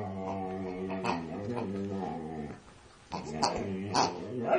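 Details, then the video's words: Vocal female Siberian Husky going at a pig: sustained low groaning tones that waver and bend, a brief quiet gap, then choppy whines with sharp yelping accents. "siberian husky attacking a pig"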